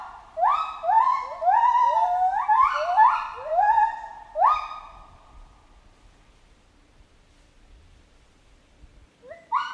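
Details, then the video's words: Chimpanzee calling builds into a rapid cluster of overlapping upward-sweeping harmonic hoots, then fades into several seconds of quiet before one last short rising call. "Monkey Ape Sound Effect Chimp Jungle"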